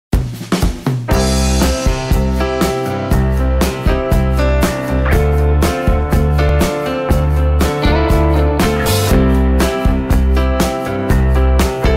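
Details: Drum-driven music with a steady beat and bass plays throughout, with no animal sound.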